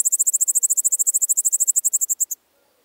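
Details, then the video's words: Song of the Littoral Dark Bush-cricket, Seewiesen, Germany, July 2023: about 25 crisp, very high pulses delivered roughly ten per second, slightly slowing toward the end before stopping abruptly. "Pholidoptera littoralis -- Küsten-Strauchschrecke -- Littoral Dark Bush-cricket"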